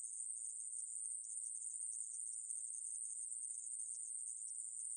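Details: Continuous shrill buzzing of a conehead katydid, from a National Institute of Biological Resources recording of 2020, steady and high-pitched throughout with a faint fluttering texture and no background sounds.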